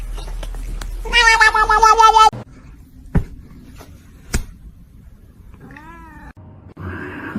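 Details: House cat uttering one loud, harmonically rich meow lasting about a second, then a quieter rising-falling meow near the end, with a few sharp clicks and soft room noise between.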